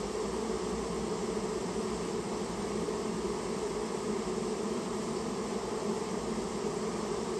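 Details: A Japanese honey bee colony, nested in a private storehouse and removed by request, fills the air with a continuous, dense buzz, level and unchanging from start to finish.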